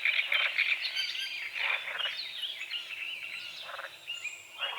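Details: Frogs croaking at dawn on a small lake at the edge of a forest, under morning fog. Short, rasping croaks come in loose bursts every second or so, with birds chirping and whistling steadily over them.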